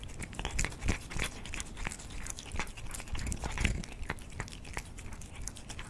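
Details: Cats eating food indoors, crunching steadily with rapid, irregular bites about three per second, each a sharp crackly click over a low thudding undertone in a small room.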